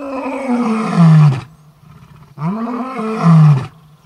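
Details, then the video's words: Male lion, one of the Orpen males, calling out for the females of the Koppies Pride: two long deep roars, each falling in pitch to a low moaning end, separated by about a second of quiet. "Orpen Male( Buddy) calls out for females!"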